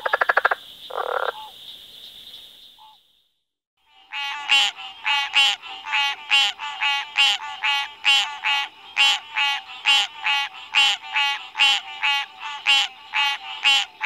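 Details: Frog croaking steadily after a short quiet gap, each harsh, ratcheting croak repeated slightly under once a second in a regular series; a few brief sounds come before the calling starts.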